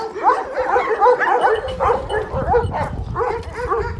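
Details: Kangal shepherd dogs, called golden Kangals, giving quick, bending yelps and barks that run almost without pause. A steady low rumble sits beneath them.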